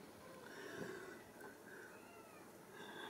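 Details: Ragdoll kittens at a home cattery in central Kansas, settled in a drawer, give faint, thin, high mews, several short calls in a row over a quiet indoor hum with a woman speaking softly nearby.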